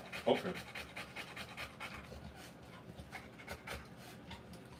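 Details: Panting Rottweiler during the birth of her puppies: a sharp squeak near the start, then soft, quick breaths in a steady rhythm with light background noise.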